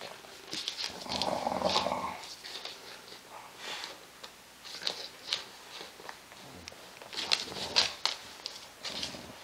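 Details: Indoors on a play mat, an English Bulldog mother plays rough with her puppy: one low, rumbling growl lasting about a second, surrounded by scattered clicks, thumps and scuffling of paws and bodies.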